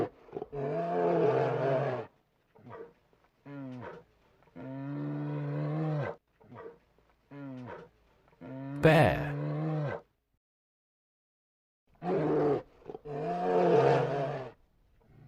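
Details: Bear roaring in a series of deep, drawn-out, rough calls of one to two seconds each, broken by pauses, with one harsher, louder burst near the middle.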